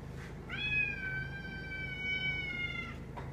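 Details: Indoor domestic cat meowing to demand that someone sit with her while she eats; one long, steady, tonal meow lasting about two and a half seconds with a flat pitch and rich harmonics, over a low room hum.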